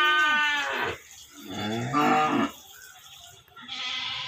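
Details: A cow gives long, rich moos that waver slightly in pitch and then trail off, with a final call rising briefly at the end. A goat opens the sequence with a higher, quavering bleat. Cow.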